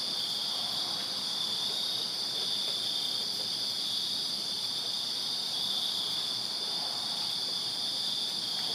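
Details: Summer night cricket chorus from a backyard in Virginia, an even high-pitched ringing trill layered in several bands, continuous throughout with soft low rumble underneath.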